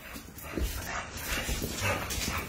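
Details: Darby, a three-legged pitbull recovered from leg removal, playing with French bulldogs; rough, breathy growling and snuffling bursts overlap in a noisy indoor scuffle.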